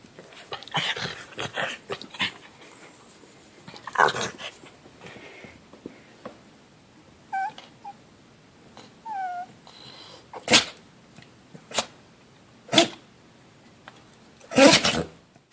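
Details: Buffy, a 16-year-old miniature dachshund, gets vocal about her allotment of belly rubs. Short, high whimpering squeaks and yips come mid-clip, amid sharp thumps and rustling noises indoors.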